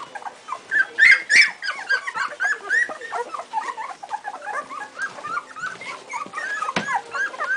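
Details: Two-week-old Strongbow puppies squealing and whimpering together, a steady stream of short high rising and falling cries, several louder shrill yelps, many voices overlapping throughout.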